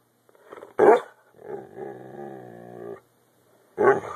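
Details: Pet dog barking and growling on a hand command while teased for biscuits, indoors: a sharp bark, then a long, steady, rumbling growl with many stacked tones, ending in another loud bark.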